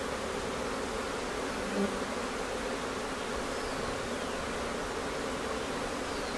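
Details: Hive of honey bees days before swarming, May, Newfoundland; quiet continuous hum with soft tonal bands under broad hiss, a faint brief buzz passing by near two seconds.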